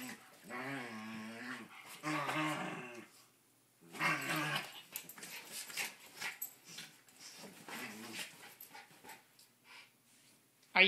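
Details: Indoor play-fighting between an eight-year-old cairn terrier and an 18-month-old terrier mix: deep rumbling growls come in several bursts of one to two seconds, followed by panting, scuffling and rustling, then a sharp click at the end.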